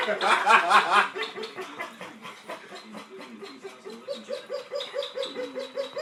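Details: Pet dog's laugh-like whining starts as a loud, wavering, rapid chatter, then eases into soft, regular, slightly rising whimpers, about two each second.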